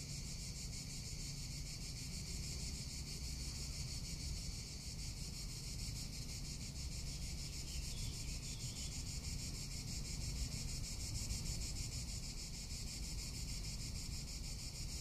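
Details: Summer cicada chorus in Tuscany: a continuous shrill, buzzing drone with rapid regular pulsing that holds steady throughout, with wind rumbling low underneath.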